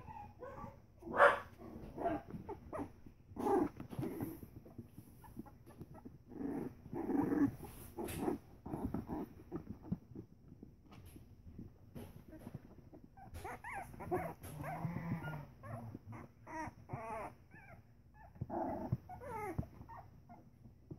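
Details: Three-week-old Pembroke Welsh Corgi puppies give short yips, whines and small barks while playing together.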